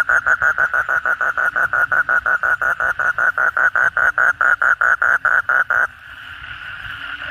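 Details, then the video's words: Asian common toad (kodok bangkong) calling at night after heavy rain, among many toads: a steady run of about thirty loud, even croaking pulses over six seconds, then the caller stops, leaving a soft chorus hum. "suara kodok bangkong pada gacor setelah hujan lebat malam hari"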